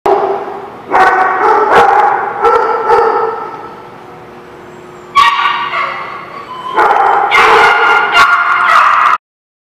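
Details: Dogs barking on 18 March 2017, with loud, high, harmonic yips and barks in rapid overlapping bursts. A quieter stretch of a few seconds is followed by another dense burst of yelping before the sound cuts off abruptly.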